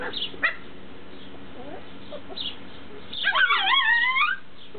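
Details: Tibetan Terrier puppies from Berlin/Brandenburg give a long, high, warbling whine with rising and falling harmonics near the end, after a few brief squeaks and yips earlier on.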